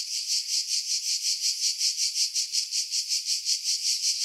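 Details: Chorus of cicadas in July 2018 among pines above Pefkos Bay on Skiros, Greece: a shrill continuous rasp with regular, even pulses roughly three per second, no other sounds.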